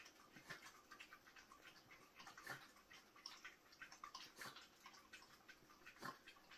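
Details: Two content Yorkshire Terriers lap goat milk from small dishes indoors. Quiet, wet, clicking tongue strokes repeat rapidly and unevenly, with a few sharper splashy clicks standing out.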